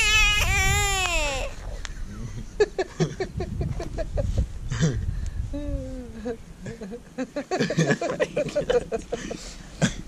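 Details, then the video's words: American bullfrog held in the hand after capture, the first one its catchers have found that screams: a loud, harmonic wail of about one and a half seconds that drops in pitch at the end, followed by people talking and handling noise. "Screaming bullfrog"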